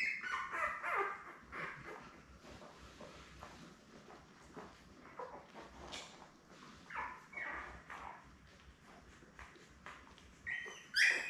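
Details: Seven newborn Labrador Retriever puppies, born May 24, 2021, with their mother Belle on June 3: brief high squeaky whimpers in scattered bursts, with soft clicking and rustling between them.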